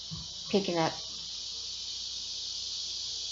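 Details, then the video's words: Large male cicadas calling for females to mate on a hot summer day, Tuesday 12:10 p.m., August 2, 2016, at My New Haven: a steady, ear-piercing high buzz holds throughout, with a brief human voice near the start. "THE SOUND OF THE LARGE MALE CICADA"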